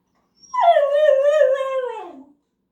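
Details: Left-behind male dog voicing his fear of missing out with a long whining howl that starts high, drops quickly, then holds a slightly wavering tone before sinking and fading after roughly 1.8 seconds; no other sounds.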